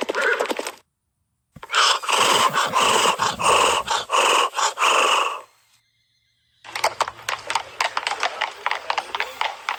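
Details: A horse reacting to other horses gives a loud, shaking whinny with strong harmonics, followed by rapid, noisy pulsed sounds.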